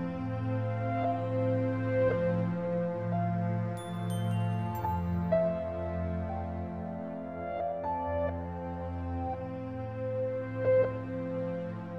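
Soft ambient music with sustained low tones and gentle chimes, with no animal sounds.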